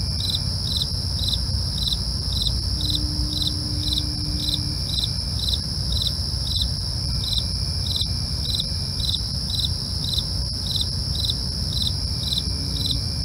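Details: Nighttime crickets give steady, rhythmic chirps around twice a second, set against an unbroken piercing trill and a dull low-frequency rumble.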